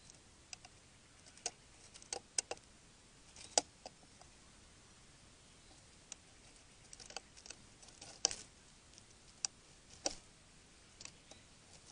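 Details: Only scattered dry clicks and taps over a faint hiss, with no animal voice heard.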